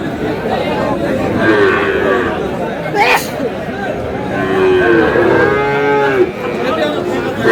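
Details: Chuadanga, 4 July: Sahiwal cattle, bull calves among them, give drawn-out lowing calls, two longer moos standing out amid crowd chatter, with a brief sharp clatter near the middle.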